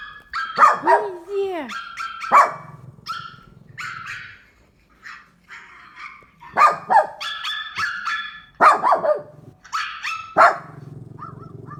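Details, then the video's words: Pet dog barking in reaction to sound effects: several sharp, broadband barks spaced a few seconds apart, mixed with a person talking and tonal, sliding sound effects. "My dog barking at sound effects"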